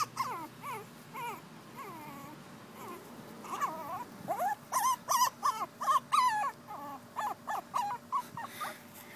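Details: Two female Pekingese puppies calling: scattered high, bending whines at first, then a quick rapid series of short, sharp yelps and whimpers packed closely together, easing off toward the end.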